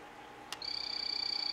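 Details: A captive male phantasmal poison frog of the 'Morospunga' locality form calling: after a short click comes a sustained high, buzzy trill of rapid even pulses, about twenty per second, holding a steady pitch over a faint constant hum.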